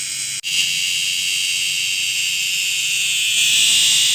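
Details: A cicada, called kundidit in Ilocano, sings a steady, shrill, high-pitched drone that swells slightly louder toward the end.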